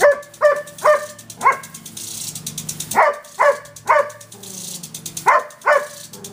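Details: Female Irish Setter in her backyard barking at a water sprinkler, an unwelcome guest to her; loud harmonic barks in two bursts of four and a final pair, with the rhythmic ticking spray of the sprinkler behind.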